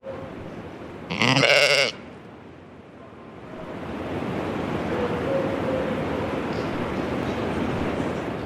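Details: A beloved pet goat gives one short, loud bleat with stacked harmonics. Steady background hiss fills the rest of the recording.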